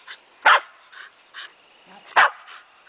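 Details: Several Shetland Sheepdogs playing, one very pregnant female lagging behind; two loud sharp barks about one and a half seconds apart among quieter yips, with a person talking.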